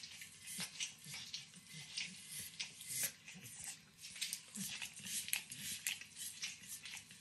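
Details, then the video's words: Close, wet licking from Max, a nine-year-old Pit Bull treated to overcooked bacon indoors, with a steady patter of sticky tongue smacks and short slurps, a few louder bursts standing out over faint kitchen hum. "Max Licks & Nibbles Bacon | Dog Licking Sounds"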